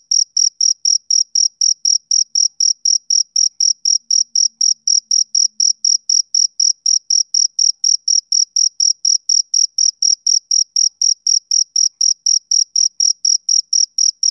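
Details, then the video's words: Male cricket calling in a regular, fast series of sharp high chirps, about four a second, sustained and unchanging, with a faint low murmur briefly in the background. "Cricket Chirping Sound Effect"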